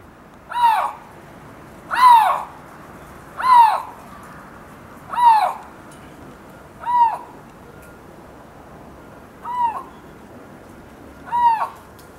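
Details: A Siberian lynx at Hamura City Zoo in Japan gives seven arched, wavering yowls over twelve seconds. The calls come roughly every one and a half to two seconds. Each one rises and falls, and the background is otherwise quiet.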